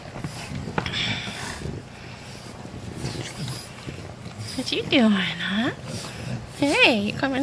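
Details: Twenty-day-old English Bulldog puppies of Fiona and Valentino; a long arched whine near five seconds followed by a pair of shorter wavering squeals near the end, over low rustling and indistinct background noise.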